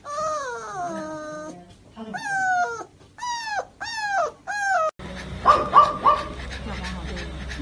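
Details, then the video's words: A dog crying while being taken for an injection: a series of high, wavering whines with strong harmonics, sliding down, then several short arched whimpers in quick succession, followed by muffled voices and noise in a small room. "Dog crying While going for Injection"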